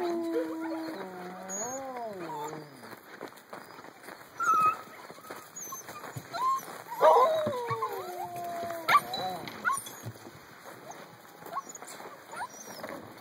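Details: Young puppies, eight weeks old, whimper in drawn-out tones: an opening wavering whine stepping up and down, then scattered short squeaky yelps and whines, while a woman speaks gently to them in the background.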